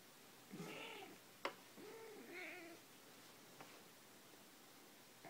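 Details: A domestic cat gives two drawn-out, wavering meows, making funny noises, while a person beatboxes along with sharp percussive clicks; recorded 2 June 2014.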